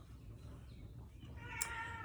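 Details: An old 21-year-old Siamese cat gives a single drawn-out, nasal meow near the end, over a low hum.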